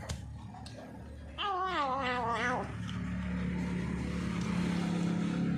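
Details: Feral cat newly kept as a pet, calling while eating: one long, quavering, wavering yowl lasting about a second, followed by a steady mechanical hum and background rumble.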